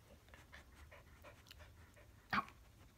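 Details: Three-month-old rescued Siberian Husky puppy indoors on his third day in a new home, trying to play fight with an older black Labrador; quick rhythmic panting breaths, about four per second, ending with a sharp knock.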